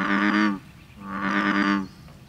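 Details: An American bullfrog calls on May 30th, 2010 at a bed and breakfast inn in New Hope, giving two deep, droning, harmonic notes, each about half a second long.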